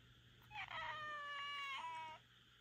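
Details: Rika, a Minuet cat, complains during the night with one long meow of almost two seconds. It rises slightly, holds a steady harmonic tone, then steps down in pitch for a brief tail. A low background hum is audible.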